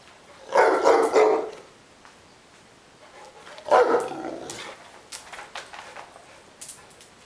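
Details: Neapolitan Mastiff Ovelix, complaining and wanting to play, gives two heavy, drawn-out, hoarse barks about three seconds apart, followed by light clattering and tapping noises.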